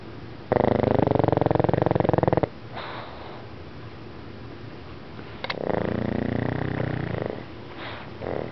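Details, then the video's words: Princess, a pet pug, asleep and snoring: two long, loud, rattling snores with a rapid buzzing pulse, the first lasting about two seconds, then a quiet pause before a second drawn-out snore and a softer snort. "Princess Snores"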